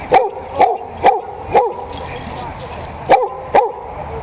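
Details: Benson, a friendly dog who barks almost non-stop around other dogs, gives a run of sharp barks, about six in four seconds with a short pause midway, over a murmuring background.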